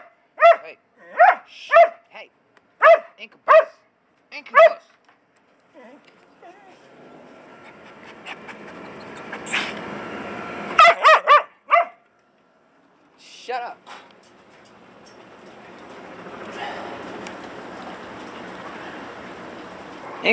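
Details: Dog. A domestic dog gives a quick series of sharp, mid-pitched barks, several close together. After a pause, a few more barks break out over a person's voice telling the dog to be quiet.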